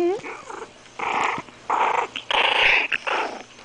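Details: Five-week-old Maltese/Yorkie (Morkie) puppy Louie growling indoors when his back is scratched: a string of short, rough, tonal bursts with brief gaps, rising and falling in intensity, with a person talking softly between them.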